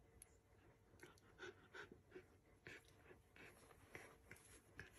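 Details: English bull terrier panting indoors, quick uneven breaths at about three per second with soft rasping bursts, steady low room noise underneath.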